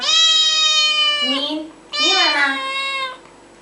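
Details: Cat producing two long, loud, strained meows, each over a second, the second with a wavering, rising-falling pitch; a person speaks just afterwards.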